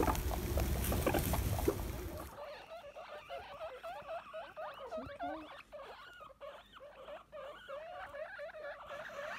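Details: Baby guinea pigs, freshly born, squeal in a steady chorus of short rising and falling wheeks, several calls a second, after a burst of loud rustling and handling noise in the first two seconds.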